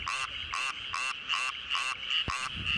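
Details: Male Japanese tree frogs (Dryophytes japonicus), small green frogs of Tokyo rice paddies, inflate their throats and give loud, raspy croaks about twice a second to attract mates in the April–August breeding season.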